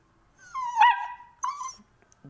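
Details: Long-coated German Shepherd puppy indoors, giving a drawn-out whining whimper that rises then wavers, followed by a shorter second whine; quiet room with a faint bump at the end.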